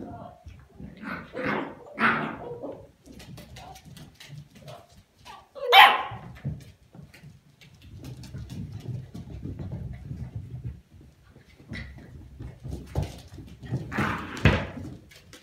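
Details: Cardigan Welsh Corgi puppies of litter J, born 21 November 2019 at a kennel: scattered short yelps and barks, one loud sharp bark near the middle, with soft whimpering, low rumbling and human voices between them.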